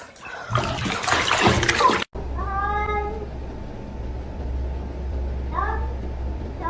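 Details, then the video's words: Kitten meowing indoors: two short, tonal, slightly falling meows, the first strong and the second softer near the end, after two seconds of loud rustling noise, over a constant low hum. "kitten meowing"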